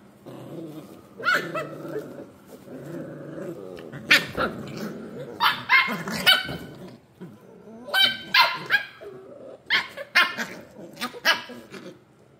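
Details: Scottish Terrier puppies playing, a mix of high yips, short sharp barks and rumbling play growls in irregular bursts, several animals overlapping.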